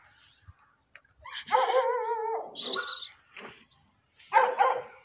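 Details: Tibetan mastiff being bathed and groomed by a Chinese dog trainer; a drawn-out, wavering tonal whine about a second long, then a rougher higher burst and a shorter repeat near the end, with Chinese speech around it.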